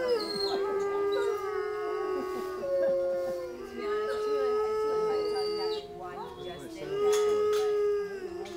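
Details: Wolf howls, several long drawn-out voices overlapping at slightly different pitches, each gliding gently up and down and swelling and fading over about eight seconds, with brief breaks between phrases and possible faint human voices.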